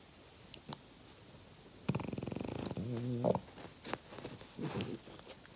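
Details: A 5-year-old French Bulldog gives a rattling snort that turns into a low, droning grunt.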